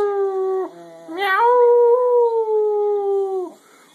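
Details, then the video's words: Domestic dog singing along in long tonal howls; a first howl breaks off briefly, then a clear, level howl holds for over two seconds before sliding down and fading. "The singing Dog"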